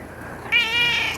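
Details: A sharp, high meow from pet cat Mish Mish starts abruptly, then sustains with a slight second rise before trailing off.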